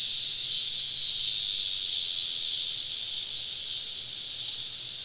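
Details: Cicadas surrounding a summer camp deep in southern woods at evening, their chorus a continuous shrill hiss-like drone that fades slightly over five seconds, unbroken and even.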